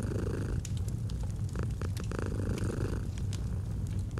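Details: Low, rolling purr of a domestic cat with a brief breath shift midway, overlaid by several crisp crackles from a nearby fireplace.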